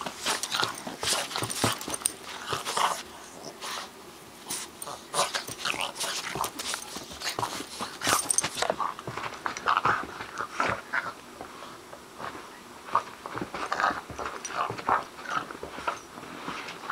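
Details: A two-month-old bulldog puppy playing with a Boston terrier: short whiny growls and yips come in bursts among constant scuffling, clicking and thumping of paws and bodies, with a brief quieter stretch midway.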